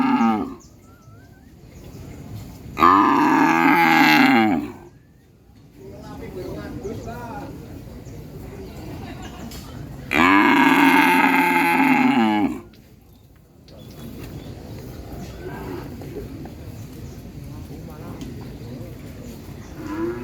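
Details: Cattle mooing as a genuine recorded sound: two loud, long moos, each about two seconds, spaced roughly seven seconds apart, with soft muffled lowing and low background noise between.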